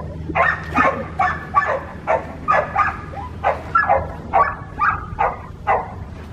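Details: Red merle female Australian Shepherd puppy at an Oklahoma breeder yipping in a rapid, uneven series of about a dozen high, squeaky barks, roughly two per second, each short and bright, over a steady low hum.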